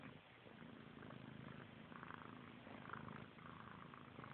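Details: Continuous low purring from kittens Frank and Callie, siblings licking and grooming one another; the rumble holds steady while brief moist licking sounds rise and fall above it.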